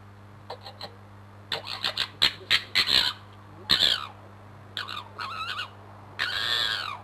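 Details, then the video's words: Crooked-Tail fox fighting and posturing just under a bedroom window: harsh, raspy screams and stuttering cackles in bursts of varying length, some with falling wavering tails, over a steady low electrical hum. "Fox Fisticuffs with Screaming Abdabs"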